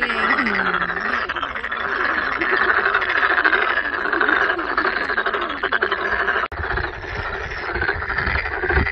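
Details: Dense chorus of many toads at Sangdang Mountain Fortress in Cheongju, South Korea, where toads and masses of toad tadpoles gathered; continuous overlapping croaking trills fill the clip, with a few lower gliding voices near the start.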